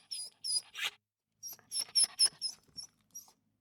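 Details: Small dog producing a quick run of high, piping whimpers, about a dozen short squeaky notes in two bursts, the later ones fading softer.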